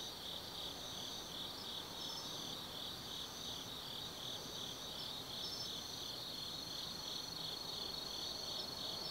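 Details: Autumn forest insects at night, Tsukimi no Mori in Gifu, Japan, 180 m over the Nobi Plain; a shimmering, steady high trill overlaid by rhythmic chirps roughly three per second, with quiet distant low hum.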